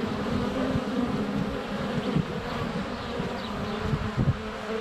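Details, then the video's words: Close-up hum of honey bees in flight at their hive entrance on a sunny February day, recorded on a GoPro Hero 7 Black; continuous low buzzing with passing wingbeat swells and soft taps. "Honey Bees - ambient video and audio"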